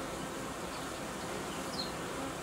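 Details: Honey bees in an apiary during colony uniting and replacement of old queens with young ones; a dense, steady hum of many bees fills the whole clip, with a few faint high chirps above.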